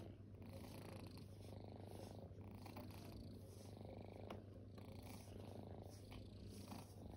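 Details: Resting kittens, formerly homeless animals, purring: a steady low rumbling purr that swells and eases in cycles roughly every second or so as they breathe, with a faint soft rustle above.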